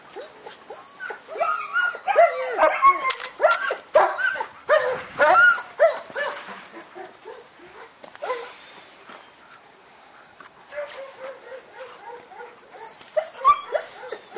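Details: Male German Shepherd puppy in Saratov gives excited yelps and squeaky whines in dense bursts, mixed with clattering and scraping, then a quieter stretch of lower, steady whimpers before more sharp cries.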